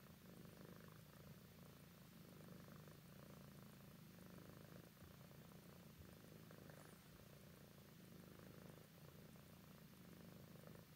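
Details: A sleepy adult tabby cat, thought to be about 10 years old, purrs steadily while snuggling, a low continuous rumble with a soft pulsing rhythm.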